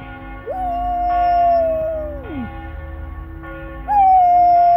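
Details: Flat-coated retriever howling along to church bells: a rising onset into a long level howl that bends sharply downward, a pause filled with bell strikes, then another howl swooping up and holding steady.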